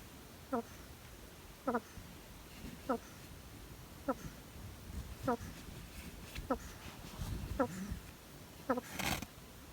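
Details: Sleeping pet hedgehog gives a run of short wheezy snore squeaks about every 1.2 seconds, with low rustling between them and a sharp broadband scrape near the end.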